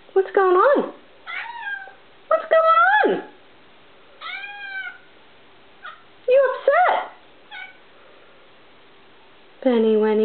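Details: Vocal female house cat indoors, upset that a tiny bug sits on the wall, chirping like a bird: about seven short rising-and-falling harmonic chirps and meows over ten seconds, some rapid and trilled, with gaps of quiet between them.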